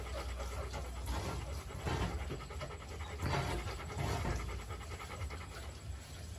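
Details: Rottweiler pups Bruno and Dora in a kennel. Quick, noisy panting runs almost continuously, with louder breathy surges near the middle, over a deep background hum.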